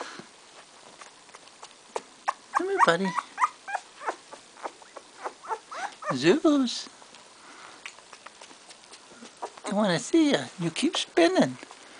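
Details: Two-week-old Bull Terrier puppies from litter CT29, recorded 10 February 2013, give clusters of short wavering, rising-and-falling whimpers in two bursts, with soft clicks and snuffling between and a person's voice nearby.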